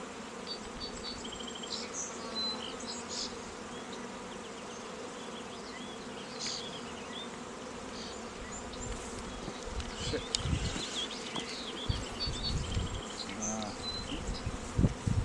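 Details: Honey bees at an apiary raising queens, with queen cells on day 11: a steady, dense hum of many wings, with faint high chirps above it and rustling handling noise toward the end.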